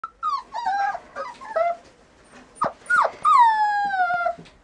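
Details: A Border Collie whimpers in a run of short, high, tonal whines that bend and fall, then gives one long whine that slides slowly downward. Brief quiet gaps separate the bursts.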